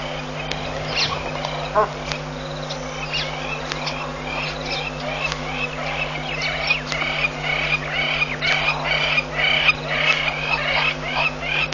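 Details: Banded mongooses foraging for food near Pete's Pond, Mashatu Game Reserve, Botswana, on Aug 29, 2015, chatter in a steady stream of short, high chirps and twitters.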